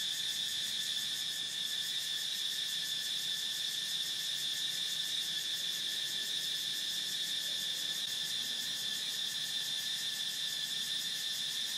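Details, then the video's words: Cicada singing in a continuous, steady high-pitched buzzing drone with a fine rapid pulsing texture, unbroken and even in loudness throughout. "Cicada Sound"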